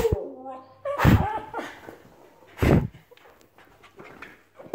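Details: Cairn terrier indoors responding to its owner, giving a short whiny vocal sound at the start followed by two loud bursts and soft rustling, with the owner speaking French nearby.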